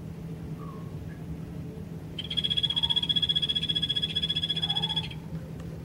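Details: Golfodulcean poison frog kept in the cold-blooded animals pavilion of Poznań's Old Zoo, giving one sustained high, fast-pulsed trill of nearly three seconds, with faint short chirps before and after and constant low room hum.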